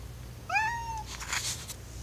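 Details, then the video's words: Domestic cat, a male wanting to be let downstairs, gives one clear oww-like meow that rises slightly then falls away, followed by brief rustling noise. "cat sounds"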